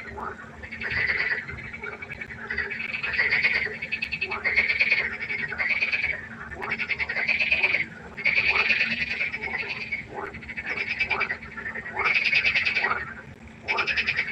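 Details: Frogs calling at night by the pond in a dense chorus: bursts of rapid, pulsed, rattling croaks about a second long, repeated with short gaps, overlapping voices filling the recording.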